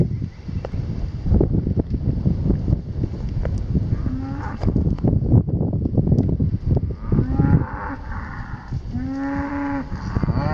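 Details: Cows, a herd of 38, with loud rumbling and thumping noise through most of the recording, then two drawn-out lowing moos near the end.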